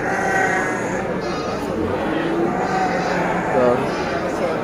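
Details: Garut fighting sheep (domba tangkas) at the Tanjungsari market in Sumedang Regency, giving a wavering nasal bleat over steady crowd chatter and market bustle.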